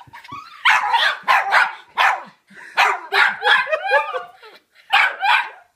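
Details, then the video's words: An 11-month-old Miniature Schnauzer inside a bag goes wild with excitement as its owner comes home. It gives bursts of high, wavering whines and sharp yips in quick clusters, each rising and falling in pitch, with brief pauses between groups. "Miniature Schnauzer Goes Nuts"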